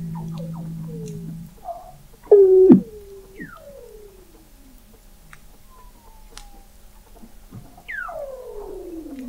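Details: Weddell seals vocalizing 21 m below the sea ice at McMurdo Sound, Antarctica, recorded November 2017 by the McMurdo Oceanographic Observatory: a low steady drone, then sliding whistles and descending glissando trills overlapping from several callers.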